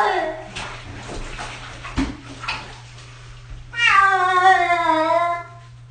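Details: Cat getting its first bath at six years old: a voice and splashing at first, then one loud, long, wavering meow lasting almost two seconds before it fades.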